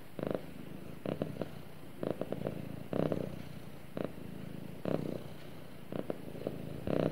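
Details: Snuggling pet cat gives a soft, even purr close to its owner, a low buzzing rumble pulsing steadily about once per second in a calm indoor setting.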